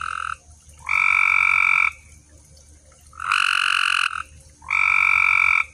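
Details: Frogs calling at night in a pond: sustained buzzy, even-pitched trills, each about a second long, three full calls spaced over a few seconds against a quiet background.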